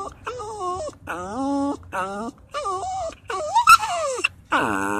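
A Basenji gives a series of wavering, yodel-like howls that swoop up and down in pitch.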